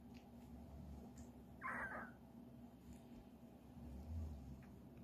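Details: French Bulldog puppies at a dog breeder in Okayama, Japan; one short, high squeaky whine rises and fades just before the two-second mark, with only a steady low hum before and after.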